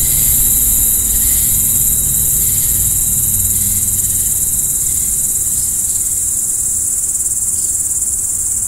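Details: Constant shrill cricket trilling at night, with a thin steady whine beneath it fading after a few seconds and a low droning rumble in the background.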